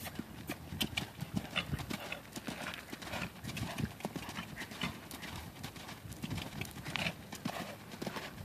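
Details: Eight-year-old Friesian gelding, somewhat out of shape, cantering under saddle for the first time; steady, rhythmic hoofbeats thud throughout with a rolling three-part pulse and light scuffing in between.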